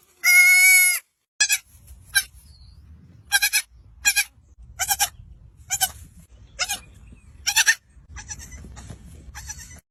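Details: Young goat kids on a goat farm bleat repeatedly: a loud nasal cry followed by several shorter, higher bleats.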